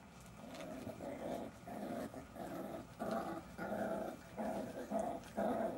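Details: Jack Russell Terrier puppies playing, producing low rumbling growls in rhythmic pulses roughly every half second, each burst rough and throaty, growing slightly louder toward the end.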